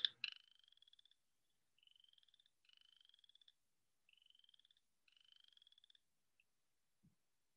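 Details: A chorus frog, an early spring breeder that calls on its way to breeding ponds in Indiana, gives short, rising, pulsed trills like a finger run down a comb's teeth.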